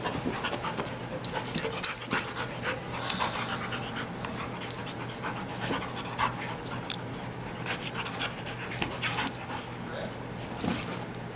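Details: Two dogs, a border collie and a new Siberian husky puppy named Sasha, wrestling; hissing, wheezy pants in irregular bursts with scrabbling and thuds from the tussle, set against a constant electrical hum.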